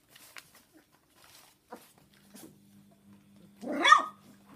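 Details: After quiet shuffling and small clicks, a single strong bark rings out near the end, indoors with a Golden Retriever litter of 3.5-week-old puppies watched over by two female Jack Russell terriers.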